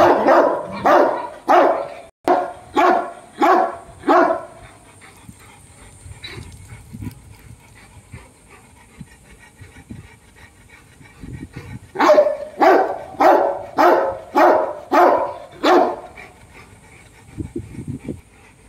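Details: Brutus and Roxy, Dogo Argentino dogs, give a series of seven rapid barks, fall mostly quiet for several seconds with faint noises, then burst into another run of six barks before tailing off.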